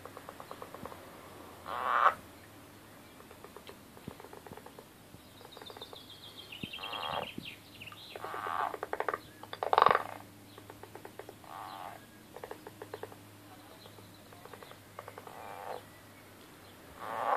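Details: Angry frogs fighting: bursts of rapid, pulsed, rattling calls come in irregular bouts every second or two, some loud and buzzy, with softer clicking trains in between over a steady low background hum.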